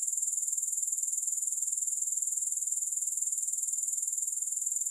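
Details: A dense, high-pitched grasshopper trill beats quickly and evenly, about four pulses a second, for the whole stretch. There is no music or other sound.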